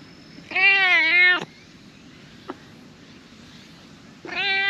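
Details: Orange tabby stray cat, which had been sleeping among seaside tetrapods, comes out happily on seeing a familiar face. Gives one drawn-out, bright meow that dips and rises, then a quiet click, then a second meow starting and cut off at the end.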